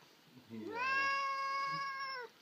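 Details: Sphynx cat, irritated and wanting to attack an arm, whining indoors: a single sustained, nasal meow of about one and a half seconds, rising at the start then holding level before fading.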